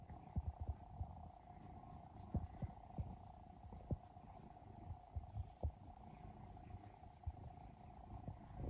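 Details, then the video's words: Domestic cat, one of three adopted sibling cats rescued as abandoned kittens in Japan, purring while asleep and snoring; low rumbling purr with soft irregular pulses under a steady hum, occasional faint clicks. "イビキをかく猫ゴロゴロ音に空中ふみふみ♪Snoring Cat"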